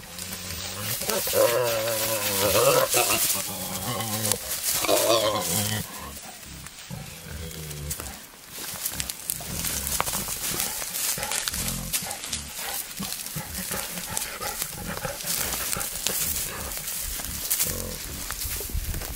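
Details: Wild boar, a male courting a female in the wild: harsh, wavering, tonal squeal-grunts fill the first six seconds, then quieter rapid clicking and grunting with rustling movement continues to the end.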